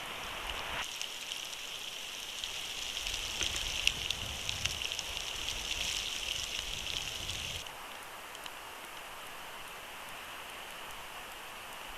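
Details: Steady hiss of falling precipitation with soft patters and a low rumble that drops away near the end, with no animal calls.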